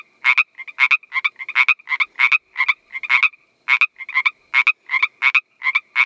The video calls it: Pacific Treefrog Calling